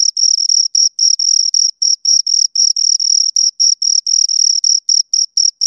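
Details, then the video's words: Two crickets chirping right at the microphone: short, high, bright pulses repeated about four times a second in a steady, slightly uneven rhythm, with a fainter upper overtone and no other sounds. "Two Crickets Chirp Sounds"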